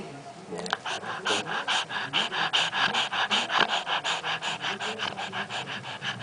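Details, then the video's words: Mortadela, a pet dog, snoring while awake: steady rhythmic raspy snorts, roughly two to three each second, in an evenly pulsed run with a brief click at the start. "mortadela roncando acordada"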